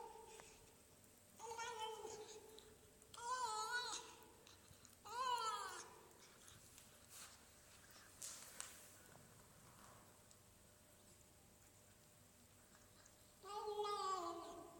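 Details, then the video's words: Marly, a pet cat, vocalizing while eating: four separate wavering, harmonic meow-like cries spaced a few seconds apart, with quiet clicks and faint room noise between them. "Cat making funny sound while eating"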